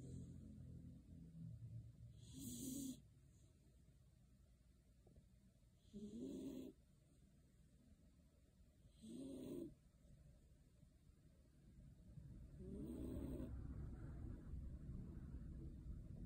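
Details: Beagle named Shiloh sound asleep under a kotatsu, snoring in rough, breathy bursts with a low hum, one roughly every three and a half seconds, quiet between breaths.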